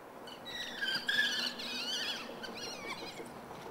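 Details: African wild dog at Kristiansand Dyrepark giving high, squeaky twittering calls in short bursts, with notes sliding up and down and quieter chirps trailing off toward the end.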